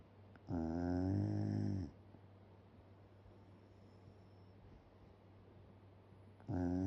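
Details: Shiba Inu dozing indoors with jaws open snores loudly: a gravelly, buzzing inhale of over a second, a quiet pause of several seconds, then the next snore beginning, over a constant low hum.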